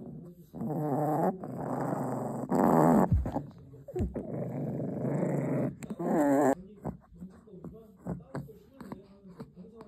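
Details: Sasha, a pet puppy guarding its dog chew, growls in rough, rumbling bursts lasting a second or two, rising and falling in intensity with short pauses between, while a person's voice is heard in the background.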